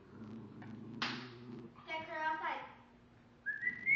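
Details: Indoors, Dexter the dog pleads for his bone back from Chica. He makes a rising, yodel-like whine with wavy harmonics, then a high whistly tone. A woman's voice is heard in between.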